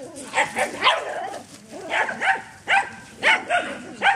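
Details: Dog having a little romp in the back yard, barking steadily with short, bright barks repeated roughly every half second.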